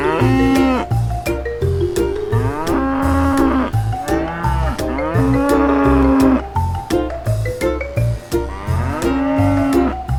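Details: A cow lows four times in roughly even succession, each moo a sustained, slightly wavering tone, with cheerful xylophone-like music and beats running underneath throughout.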